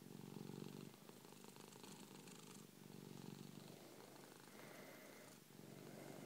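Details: A 3-year-old male Persian cat lying on his owner's chest purrs loudly in a steady, low rumble that swells and fades with each breath.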